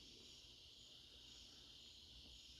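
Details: A steady, high-pitched chorus of crickets trilling without pause on an autumn night in the northeast.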